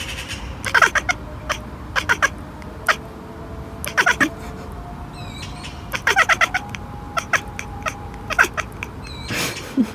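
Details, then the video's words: Domestic cat chattering: rapid clusters of dry, clicking bursts in quick trains, pausing between runs. Thin descending whistled chirps come in briefly around the middle, over a steady low indoor hum. "Best Cat Chirping Chattering"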